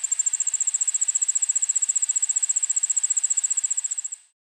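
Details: Allard's ground cricket singing at 1 pm on 9 August 2016 in a suburban backyard in Montoursville, PA, captured with a Sony recorder and shotgun mic; high, rapid, evenly pulsed chirping trill that fades and stops near the end.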